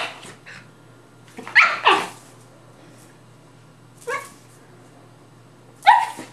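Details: A Rat Terrier and a Maltese/Yorkie mix playing together give short, sharp barks in three bursts, a quick double bark early, then single yips spaced about two seconds apart, over a faint steady hum.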